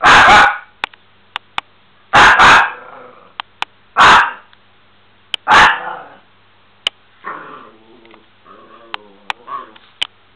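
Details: Bubi, a Miniature Pinscher, gives loud sharp barks about every one to two seconds, some doubled. Softer whiny yips and scattered clicks follow near the end.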